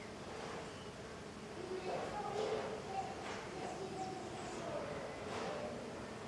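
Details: Small golden jatai stingless bees (Tetragonisca angustula) in intense activity outside their hive, giving soft overlapping buzzes as they fly past, with brief gliding hums rising and falling in pitch over a steady low background hiss.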